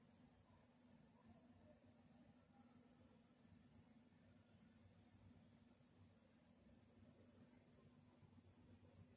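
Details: Cricket chirps recorded at night, quiet and calm. A high, bright trill of short pulses repeats steadily throughout, with a brief dip near two seconds and a gentle low hum underneath.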